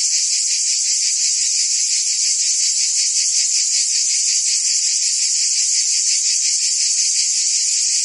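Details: A summer chorus of cicadas in Provence, France: shrill, hissing, ceaseless buzzing with a rapid pulsing beat, unchanging in volume, nothing else audible.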